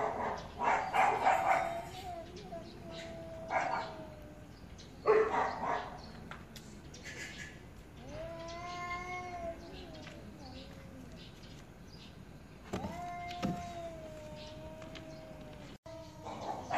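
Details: Angry cats arguing: bursts of hissing and spitting noise up front, then separate drawn-out yowls that dip and rise, with quieter gaps and a few sharp noisy spats between calls.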